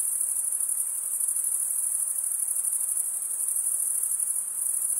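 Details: Crickets stridulating, only males usually chirping: a steady high-pitched trill, continuous without pauses, over soft broadband hiss.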